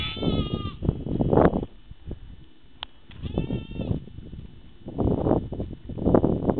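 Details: Sheep bleating briefly, a wavering call at the start and another near three seconds, separated by low thuds and rustling noise.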